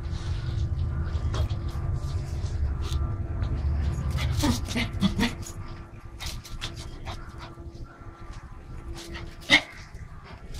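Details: Playing Pomeranian dog producing brief yips and a short whimpering burst midway, over low background rumble and scattered clicks, ending with a single sharp yap.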